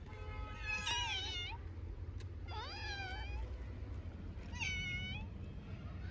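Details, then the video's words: Very hungry orphaned stray kitten in Istanbul, Turkey, meowing insistently for food: three high, bright meows about two seconds apart, each rising then falling, over a steady low rumble of traffic. "Little Smurf orphaned kitten meows for a long time because it is very hungry"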